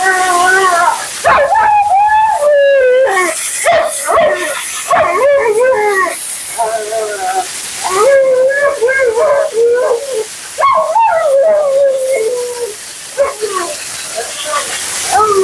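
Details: Mila, a talkative female Siberian Husky at her second-ever groom, complains during her bath: a run of wavering, yodel-like howls and whines that rise and fall in pitch, broken by short gaps, over hissing water.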